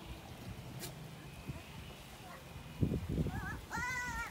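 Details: Goats during mating; after quiet rustling, a short wavering bleat is followed by a longer, steady, nasal bleat.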